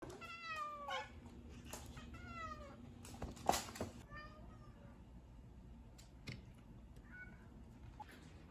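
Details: Cats at feeding time giving several drawn-out falling meows in the first three seconds, followed by clicks and clatter, with a short faint meow near seven seconds in a small indoor room.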